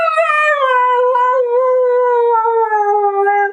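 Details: Husky named Mate howling indoors while called by name in Azerbaijani: one long, steady, tonal howl of about three and a half seconds, slowly sinking in pitch, rich in clear overtones.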